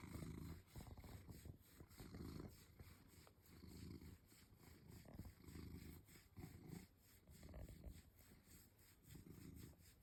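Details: Pet house cat being scratched, as it is every night, enjoying it; soft low rumbling purr in rhythmic bursts roughly every second and a half, quiet and close, with faint rubbing noises.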